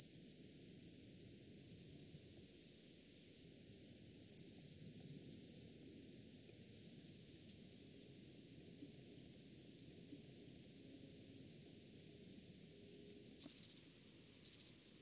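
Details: Lesser mottled grasshopper in Tuttlingen, Germany, on 9 September 2021: a very high, hissing chirr of rapid pulses lasting over a second, then two shorter bursts near the end, with quiet low rumble between.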